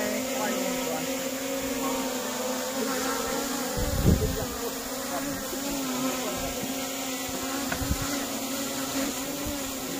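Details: Wild honey bees at a natural honey harvest in a plantation. A continuous low buzzing drone holds steady throughout, with soft human voices and occasional thumps and handling noises in the background.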